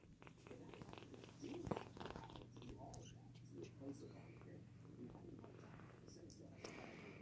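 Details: Foster kitten purring, a low steady hum running throughout, with soft handling noises and quiet speech in the background.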